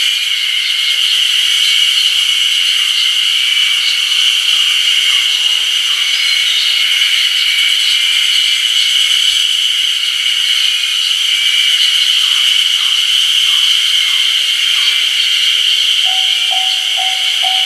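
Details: A chorus of Ezo haruzemi cicadas singing strongly beside the Kamaishi Line's Ohgiri crossing, 1 June 2019: unbroken high, sizzling buzz with a fine rapid throb throughout, a few faint short tones near the end.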